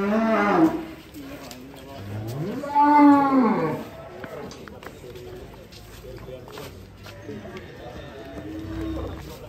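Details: Belgian Blue cattle at an extreme-class cattle contest. A short low moo opens, then a longer, louder arched moo swells and fades, followed by murmuring background noise and a faint low moo at the close.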